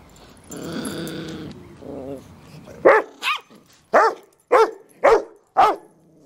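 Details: A visiting Yorkshire Terrier gives a low rumbling growl, then a string of sharp, high barks, while harassing a much larger Rottweiler.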